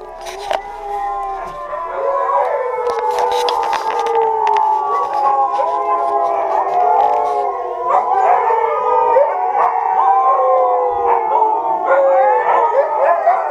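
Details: Several Siberian Huskies at a kennel break into group song, layered wavering howls overlapping in a continuous chorus, voices sliding up and down and weaving together for the whole stretch, with no other sounds competing.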